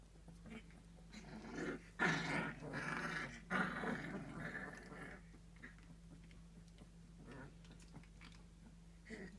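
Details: Three-week-old fox red Labrador Retriever puppies at play: a rough, noisy growling burst runs for about three seconds, then soft scuffles and small squeaks follow over a steady low hum.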